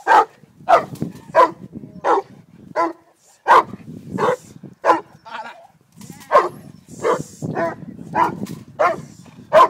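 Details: Repeated hoarse barking from Haus the Cane Corso at a three-day French Ring seminar, Montreal; about a dozen powerful barks come in uneven bursts with brief pauses, over low background chatter.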